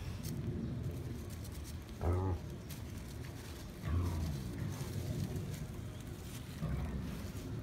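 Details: A wild boar at Tama Zoo, filmed 5 January 2017, gives deep, rough grunts, with three louder bursts spaced a couple of seconds apart.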